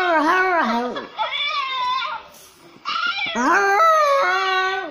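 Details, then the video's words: French poodle puppy howling while watching videos: long, wavering, tonal howls with rich harmonics, one dipping and sliding down, a short pause, then another sustained, slightly falling howl. "French poodle auyando !"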